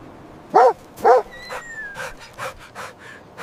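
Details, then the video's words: Puppies playing with their mother dog on fresh snow in winter; two short loud barks near the start, then softer yips and a faint thin whistle-like tone. "Beautiful puppies playing with mother dog on snowy ground – Dog barking sounds"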